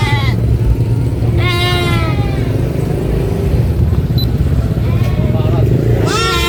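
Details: Baby goat screaming on a farm: two loud, wavering, harmonic bleats about a second apart in time, the second rising at the very end, over a constant low engine-like rumble and faint voices.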